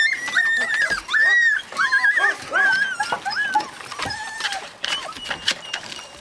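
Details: Husky puppies in Lapland, Finland, letting out longer wavering whines that hold steady and then bend, several in a row with short gaps, plus faint clicks behind them.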